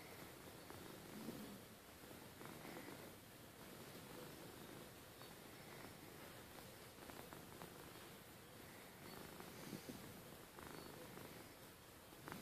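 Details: Bedtime purr from Rustle the cat, a steady low vibrating rumble sustained through the whole stretch, with occasional faint rustling and small clicks.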